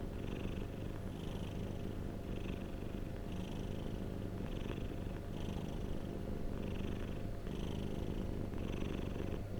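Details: Domestic cat purring steadily, a deep continuous low rumble with brighter breathy surges roughly once per second as the cat breathes in and out; quiet indoor-sounding recording with no other sounds.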